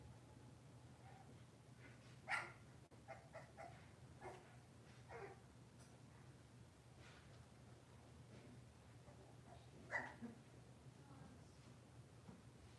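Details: Cavalier King Charles Spaniels filmed indoors by a kitchen camera on a cloudy Monday morning, with moms and puppies about. A short sharp bark rings out, a few softer yips follow, and another bark comes near the end over a low steady room hum.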